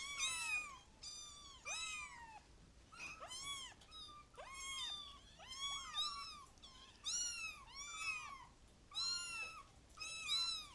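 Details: Kittens mewing repeatedly, high thin arched cries overlapping from several animals, coming in bursts roughly every second with brief pauses between clusters.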